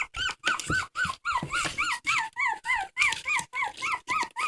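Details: Dog crying in a steady run of high, arched whines, each rising then falling, about three to four per second with brief gaps, clear harmonics ringing above, nothing else competing.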